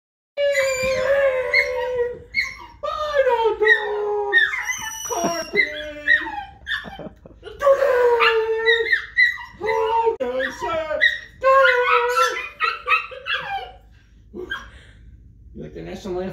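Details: Shetland Sheepdog indoors singing along as its owner sings the national anthem: wavering, tonal howls sliding up and down, repeated in bursts over sixteen seconds, mixed with the person's sung voice and brief speech.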